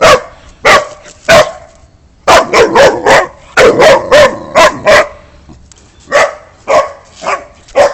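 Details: Boxer dog barking: a few spaced single barks, then quick clustered runs of harsh barks, followed by softer, more spaced barks toward the end.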